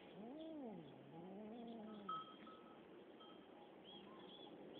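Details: Cats fighting, one drawn-out wavering yowl rising and falling over about two seconds with harmonics, followed by quieter background with faint birdlike chirps.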